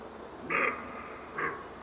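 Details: Two short, hoarse roe deer barks, nearly a second apart, the second briefer and quieter, against faint background hiss.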